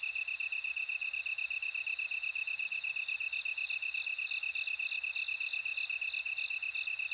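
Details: Bell cricket singing a steady high, ringing trill that swells louder in bursts about every two seconds, over a second insect's rapid, evenly pulsed chirping a little lower in pitch.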